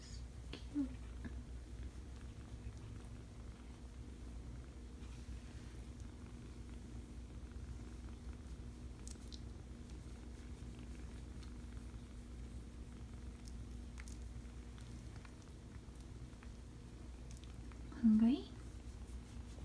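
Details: Five-week-old kittens indoors in a small room, a soft, low, steady purr rumbling continuously throughout, with a brief faint squeak near the start and a short louder squeak close to the end.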